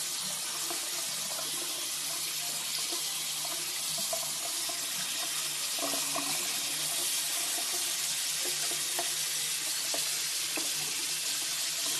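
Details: Steady hiss of water running from a tap into a sink fills the whole clip, with faint clinks and knocks underneath and no animal voice heard.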